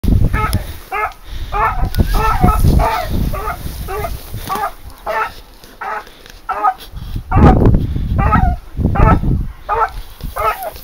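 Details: Hunting dog flushing out a wild boar during a hunt, giving a steady run of loud, hoarse barks, often paired or in short bursts, nearly twenty in ten seconds, with low rumbling background noise and a brief voice near the end.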